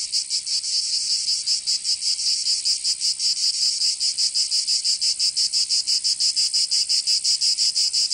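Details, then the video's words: Provence cicadas in summer, southern France: a shrill, sizzling insect chorus with fast rhythmic pulsing, roughly three beats per second, growing more even toward the end. "Canto Cigarra 🦗 [ Escuchar les cigarras en verano 10 H]"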